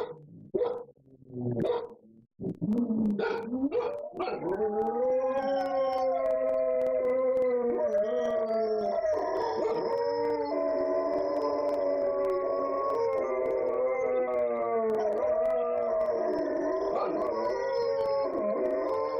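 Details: Several pet dogs left alone at home, roaming the furniture while their owners are away, break into a long chorus of howls. A few short yelps open, then overlapping sustained wavering howls hold steady, pitches sliding and layering for over fifteen seconds.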